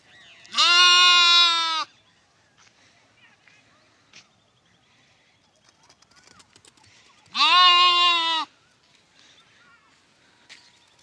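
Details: Lamb from a compilation of lambs, giving two long, wavering, nasal bleats about a second each, spaced roughly six seconds apart, with near silence and faint rustles and taps between.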